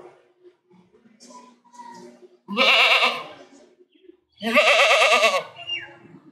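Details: Two long, loud, tremulous goat bleats, each under a second, two seconds apart, after a stretch of soft, low murmuring sounds.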